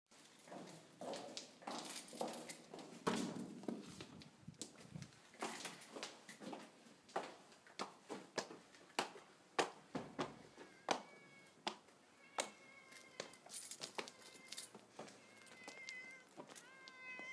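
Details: Mo, a pet cat, greets its owner arriving home, recognising the owner's footsteps. Footsteps and shuffling come first, then a run of short, harmonic, rising-and-falling meows repeated over the last several seconds.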